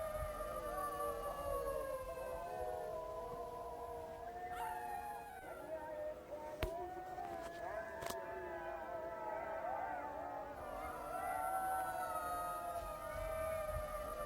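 Several jackals raise a chorus of high, quavering wails that rise and fall and weave over one another. Short yips break through the sustained howls, which swell and fade like distant sirens.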